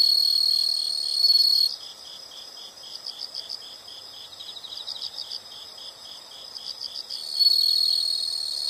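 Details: Insects in a nature soundscape: rapid high chirps pulsing about four times a second, with a louder continuous high trill from another insect at the start and end.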